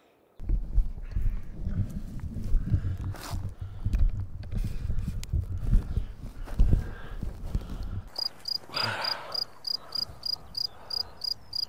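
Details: Field crickets recorded up close with a two-microphone setup in the Drôme countryside, France: after a low rumbling of handling noise, a high, even run of pulsed chirps, about three per second, repeating steadily.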